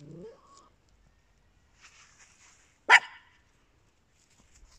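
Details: Faint shuffling and a soft rising squeak lead up to one loud, sharp yap from a small indoor dog, Papillon or Yorkshire Terrier, about midway through, followed by quiet.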